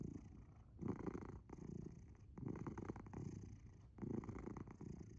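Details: Asher the cat, asleep, makes a heavy low purr in distinct surges on inhale and exhale, six rumbling pulses separated by short quieter breaks, intimate and close.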